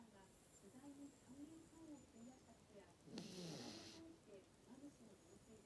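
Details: Maltese dog snoring while asleep, apparently worn out: a soft nasal whistle wavers low and steady, then one louder, harsh, breathy snore rasps out midway before the quiet whistling resumes.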